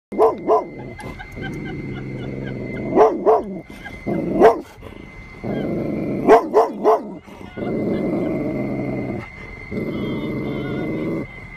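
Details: Dug, a Golden Retriever who usually loves everyone, confronts a stuffed tiger: deep rumbling growls held for a second or more, broken by sharp loud barks, some in quick pairs, over a faint steady high tone.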